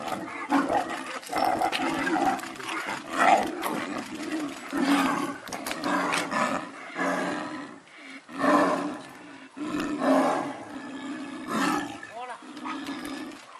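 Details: Captive snow leopard pair at Tama Zoo, Japan, fighting after mating as the male keeps chasing the female: loud gravelly snarling growls in irregular bursts, roughly every second or two, with brief gaps.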